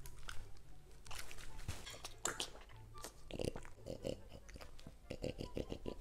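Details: French Bulldog eating vegetables that are safe for dogs, crunching loudly with sharp, irregular bites and chewing sounds in a small indoor room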